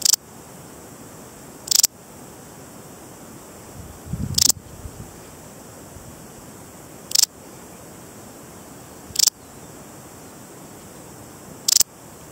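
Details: Parasteropleurus balearicus, the Balearic saddle bush-cricket of the Balearic Islands, repeats six sharp, high, clicking chirps at roughly two-and-a-half-second intervals over a quiet background with a brief low rustle.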